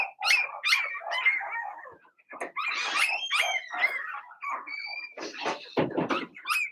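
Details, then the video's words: Blenheim Cavalier King Charles Spaniel puppies in their indoor pen make a jumble of shrill yips, whiny squeals and short barks, rapid and overlapping, with a brief pause partway through. "Cavalier Puppies Bark, Howl"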